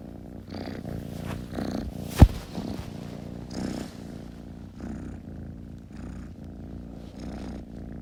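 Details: Kitten purring softly, a low rumbling drone with gentle swells on each breath and a single sharp click partway through.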